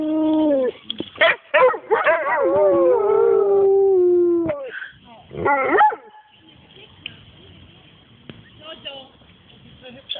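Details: Pair of pet dogs singing: a long wavering howl with bending pitch and yelps overlaid, a brief burst of yowls, then quieter whimpering and faint voices.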